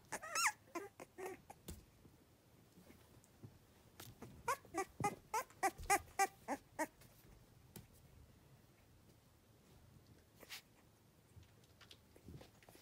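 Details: Three-week-old Cavalier King Charles Spaniel puppies on a fall day give high, squeaky whimpers in quick bursts; at this age they develop a rolling "tiger rrrr" sound.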